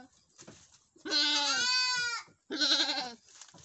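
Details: Boer goat on a farm in Nepal, where a first-time mother has delivered a male kid; a loud, drawn-out bleat lasting over a second, then a shorter quavering bleat straight after it.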